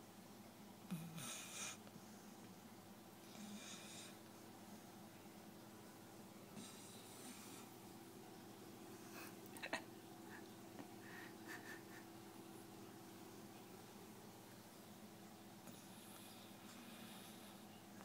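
An Akita snores softly in a quiet room, with low rumbling breaths and occasional snorts.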